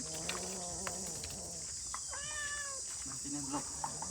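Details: Domestic cat meowing amid people talking in Khmer: a drawn-out tonal meow that rises then falls, with a shorter second meow after, over a steady high insect drone.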